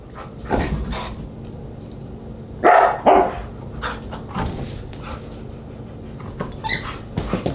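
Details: At a husky dinner on July 24, 2022, a Siberian Husky lets out two short, bright yelping calls in quick succession, amid quieter scattered yips, clinks and background hum.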